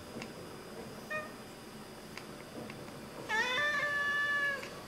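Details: Pet Oriental Siamese cats watching birds indoors, chattering: faint clicks and a short chirp, then a steady drawn-out harmonic meow of about a second and a half.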